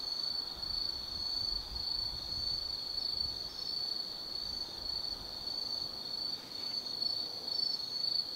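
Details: High above the Nobi Plain at Tsukimi no Mori, Gifu, Japan, autumn forest insects fill the night with a sustained, piercing, even trill, slightly wavering in loudness, with a low hiss of distant background noise.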